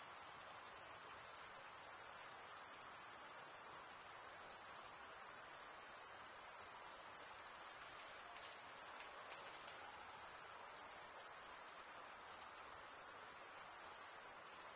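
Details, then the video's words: Summer night in the forest, crickets chirping together in a continuous, bright, high trilling wash that holds an even level throughout; nothing else stands out. "Pure cricket music for 20 min"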